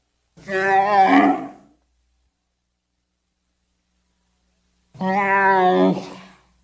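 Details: Pair of throaty, harmonic groans from a wild Bactrian camel, each about one and a half seconds with a rasping finish, separated by a long silent pause.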